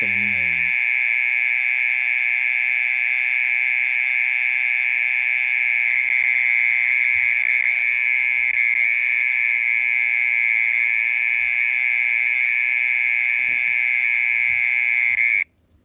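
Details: A mole cricket's nighttime call, a loud, level buzzing trill sustained without pause until it stops abruptly at the very end, with a brief voice at the beginning.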